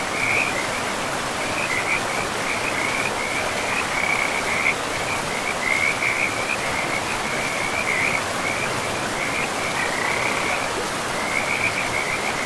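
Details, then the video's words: Frogs calling by a river in a pristine forest, a near-continuous trilling chorus of rapid pulses held at one high pitch with brief gaps, over steady broadband rushing water noise. "River and Frogs sleep sounds"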